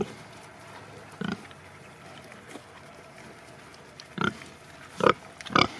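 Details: Sattelschwein or Bentheimer Landschwein pigs kept on a farm: one grunt, a long pause, then three quick rough grunts near the end, over faint steady background noise.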